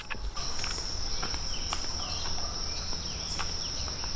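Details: Cicadas in jungle near Palenque, Mexico, on a cool morning after monkeys called about half an hour earlier: an unbroken, steady high-pitched whine, with scattered short bird chirps and soft rustling underneath.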